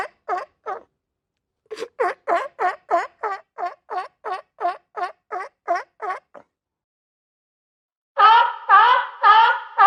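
A sea lion gives a fast series of hoarse, honking barks, then a few longer, rougher calls.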